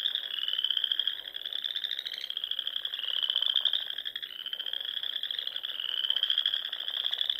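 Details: Spring frog chorus from ponds in Nebraska's Sandhills at dusk: many frogs trilling together, a steady high pulsed buzz with slow swells and overlapping rasping notes, no other clear sounds.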